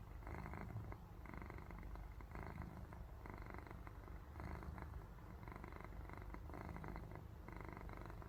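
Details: Sleeping house cat purring so it sounds like snoring; a continuous deep rumbling with regular breath-paced pulses about every three-quarters of a second, alternating in strength, in a quiet indoor setting.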